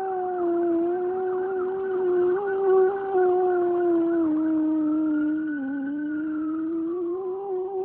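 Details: Otis, a pet dog, howling in reaction to a passing fire truck siren: one long sustained mournful howl with a rich harmonic tone, wavering gently, briefly rising, then dipping and lifting again near the end.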